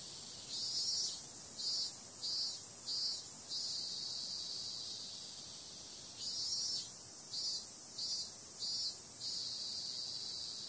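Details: Cicada sound at night in summer: a continuous thin, high hiss with two runs of four or five short, throbbing louder pulses, separated by a few seconds of even drone.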